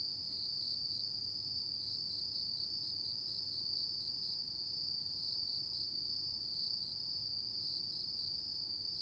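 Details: Insects of an autumn night singing a constant shrill, finely pulsed trill, joined by a thin higher ringing band; quiet low-frequency murmur underneath and nothing else.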